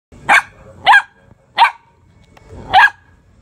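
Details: Belgian Malinois puppy, two months and two weeks old, giving four short, sharp, high yelping barks, each a quick rising-falling burst, spaced roughly half a second to a second apart against near silence.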